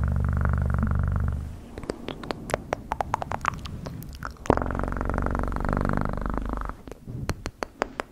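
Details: House cat's deep, continuous purr, heard for about the first one and a half seconds and again from roughly four and a half to almost seven seconds, broken up by scattered sharp clicking and tapping sounds.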